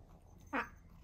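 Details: Pet cat, one of the pair Mouse and Remi, excited over a tuna treat indoors. A single short, bright meow lasting about a fifth of a second, with a clear voiced tone, breaks an otherwise quiet room.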